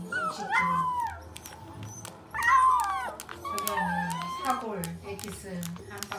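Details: A puppy cries and whines at its own reflection: high, sliding whimpers that rise then fall, in several drawn-out bursts, over soft background music.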